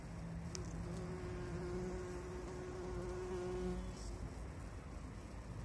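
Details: Bumblebees pollinating flowers: a steady low droning hum with a faint higher overtone, holding evenly for about four seconds before fading, over soft background noise.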